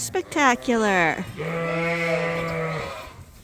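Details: Suffolk lambs in a mixed barn group at Ewetopia Farms: a few short, shaky bleats open, then one long, drawn-out steady bleat holds for about a second and a half before fading.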